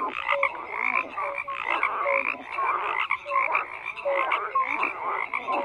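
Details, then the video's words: Frogs croaking in a dense chorus: many overlapping buzzy, pulsed croaks fill the background while short clear tonal notes pop out every second or so, with no other sounds. "FROGS CROAKING"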